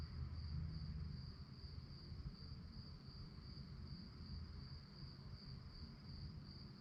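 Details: Crickets chirp at night in a steady high trill of quick beats, roughly 240 a minute, over a persistent low background rumble.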